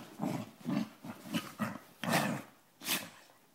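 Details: Two pet dogs playing together, one giving short, rough growls in a quick series, about six bursts in under four seconds, the later ones louder and harsher, with brief quiet gaps between.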